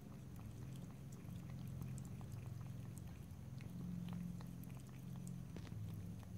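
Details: Cat drinking water by lapping and licking. Fast soft wet ticks, roughly three every second and slightly irregular, sit above a continuous low rumbling hum. No speech.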